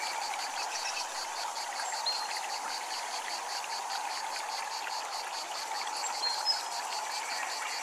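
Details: Cicadas at a Japanese temple give a steady high buzz broken into rapid, even pulses that run through the whole stretch, over a constant watery rush with a few faint bird notes.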